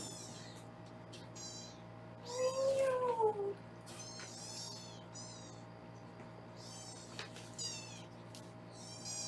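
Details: Foster kittens being weighed indoors in Los Angeles, caught on a live kitten cam: several high, thin mews come in short bursts throughout, with a brief lower voice-like sound near the middle and a steady background hum.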